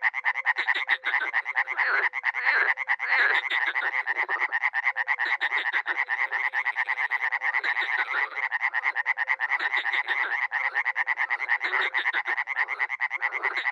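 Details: Dozens of frogs and toads call at a small pond in Miroslovesti, NE Romania, during spring; a steady, dense cacophony of rapid rasping croaks pours on without pause, while low short hooting tones come and go in the background.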